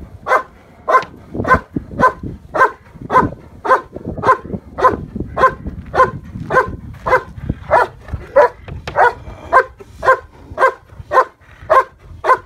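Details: Steady, relentless barking from German Shepherd Yukon vom Patiala facing the decoy in IPO protection training, Bay Area K-9 Training; some twenty evenly spaced barks, about every half second, with faint background thumps.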